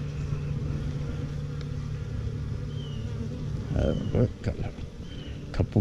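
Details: Honey bees at a newly installed hive, recorded 28 September 2018: a dense, low, continuous hum fills the clip, with bumps and handling knocks near the end.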